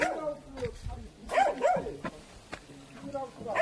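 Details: Hunting dogs of Jindo and Pungsan type during a wild boar hunt in Korea give a few high, arching yelps and whines midway, over steady men's talk and rustling.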